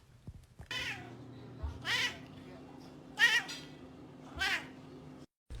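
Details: Kitten mewing four times at roughly one-second intervals, each call short and rising then falling, over a quiet indoor background with a faint steady hum.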